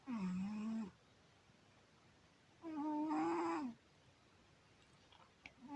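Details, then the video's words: Pet cat Syoma in deep sleep gives two long, humming snores, the first lower and flatter, the second slightly higher and rougher, separated by quiet breathing pauses, with a small tap near the end. "Кот Сёма! Сладко спит и храпит!"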